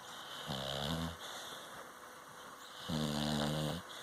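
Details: A Cocker Spaniel taking a nap snores in two long, rumbling breaths with a soft hiss between them.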